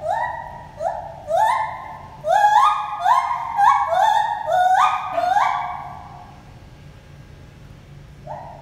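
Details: Two gibbons, Lenny and Holly, calling to each other at the Toronto Zoo: clear upswept hoots in rapid series, accelerating and climbing in pitch, then fading to a brief pause and a final note; faint low background hum.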